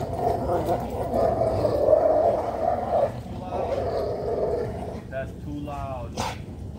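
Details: Ike, a dog in a short play session, gives a low, rough growl held for about three seconds, then another shorter growling stretch, followed by a human voice speaking close by.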